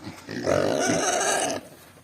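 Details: Hungry native piglets, two weeks old, at feeding time let out a harsh, roaring squeal lasting about a second, broad and rough, before dropping back to quieter background sounds.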